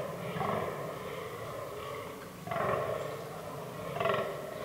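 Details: Fallow deer in an autumn forest during the rutting season. Deep, rough, belching groans come in bursts with a pause between them, the last two louder and more abrupt, over a low steady background rumble.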